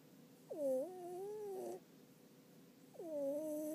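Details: Sleeping house cat during an afternoon nap, giving two quiet whistling snores, each a wavering tone about a second long, separated by a soft pause.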